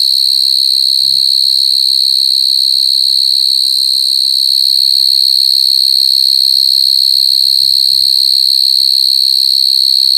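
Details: Crying coconut crickets give an unbroken, loud, shrill ringing tone held evenly throughout, with faint low murmurs of human voices twice in the background.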